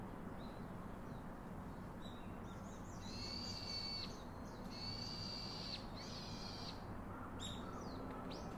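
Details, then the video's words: Baby monkey calling its father for comfort and a hug: three drawn-out, high, thin whining cries of about a second each, slightly wavering, with a few shorter squeaks around them over a steady low background rumble. "Baby Call Daddy To Hug Comfort Him Such Mother, So Lovely Baby Monkey"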